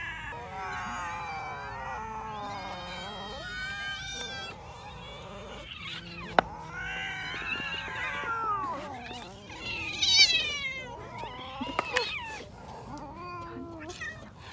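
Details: Cats feeding on raw fish, a chorus of drawn-out wavering meows and caterwauls overlapping, with a sharp click near the middle and louder high cries toward the end.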